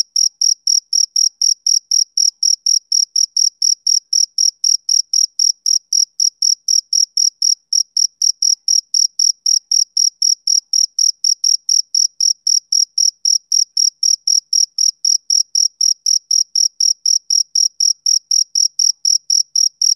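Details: Male cricket chirping on a summer evening: a steady, unbroken run of short, high, clean pulses, about four per second, with a fainter upper band and no other sounds.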